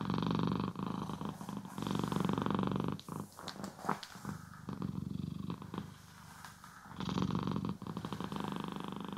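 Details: Purring domestic cat during brushing and grooming, recorded in stereo; a dense, steady low purr fills most of the clip, with a stretch of scratchy bristle and rustling noise in the middle before the purr returns strongly.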